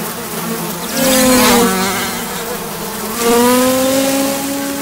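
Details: Horse-fly in flight, a droning buzz that swells and fades twice as it passes, its pitch sliding down then rising again, with a low steady hum underneath.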